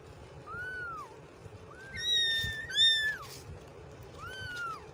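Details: A run of kitten mews, arched and high-pitched, one sliding cry followed by a louder harmonic-rich call and a last mew after a short pause; faint low noise beneath.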